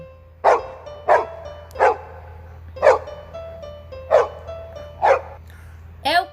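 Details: Dog barking: seven sharp, single barks roughly one per second, with gentle children's music playing underneath.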